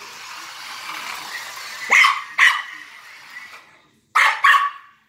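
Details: Maltese dog chasing and barking at a remote-control police car: two sharp high barks, a pause filled with the toy's whirring motor, then two more barks in quick succession.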